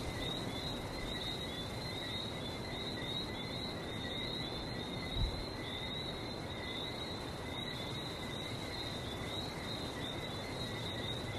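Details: Frogs in Barbados giving a long, even shrill trill that never stops, slightly wavering in pitch, with a background hiss of sea and one brief dull knock midway.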